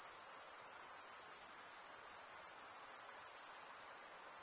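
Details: Chirping of crickets, the stridulation that usually comes from males scraping one wing across the serrated vein of the other, forms an unbroken shrill shimmer of rapid pulses, high in pitch and even in loudness throughout.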